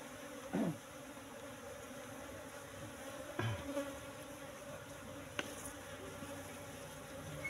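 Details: Asian honey bees (Apis cerana) in a cultivation box, colony moved from the forest about three months earlier, humming steadily during honey harvest; a low continuous drone with sharp knocks and clicks from combs being handled.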